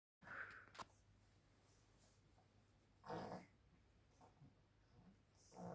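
A pug gives short, rough snorting grunts in a few scattered bursts during play.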